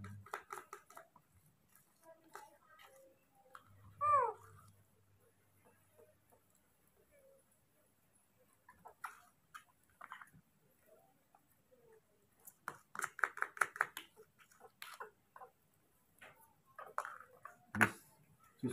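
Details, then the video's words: Baby monkey calling on and on for its father to arrive with food: a short rising-and-falling squeal near four seconds, then clusters of quick harmonic cries later, with soft tapping and handling noises indoors. "The original sound of a baby monkey, does not stop calling for the arrival of his father with food"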